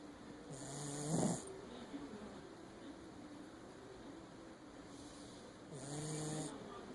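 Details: Shih Tzu named Meg snoring while asleep indoors: two raspy, throaty snores about five seconds apart, each a rough low rattle topped by breathy hiss, with quiet room noise between them.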